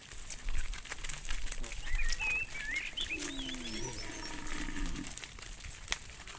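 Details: Cow roaming in the fields, calling to a friend: a distant, drawn-out moo that dips slightly in pitch. Small birds chirp high and quick just before and around it, over a steady outdoor hiss.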